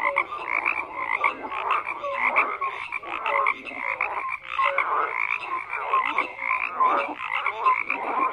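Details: Many frogs croak together in a dense chorus, overlapping harsh pulsed croaks and short tonal notes repeating without pause, no other sounds standing out.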